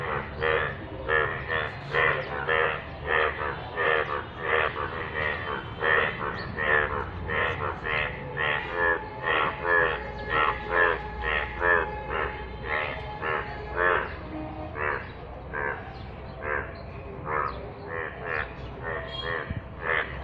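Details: A chorus of yellow frogs in rainwater: rapid, buzzy, harmonic croaks overlap steadily for twenty seconds, with a faint steady tone running through the middle section.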